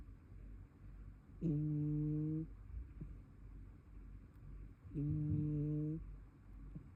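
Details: Snores from a brown tabby cat asleep indoors, two buzzy, level hums about a second each, separated by a few seconds of soft room hush.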